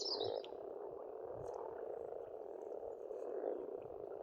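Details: Springtime frog chorus at an Estonian farm pond: steady, thick croaking drone with a few faint bird notes overhead, one brief whistle at the start.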